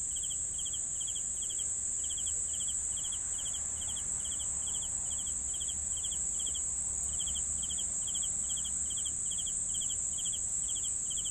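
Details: Cricket chorus meant for sleeping, with evenly spaced pulsed chirps, several per second, layered over a continuous high-pitched buzzing trill and faint low background rumble.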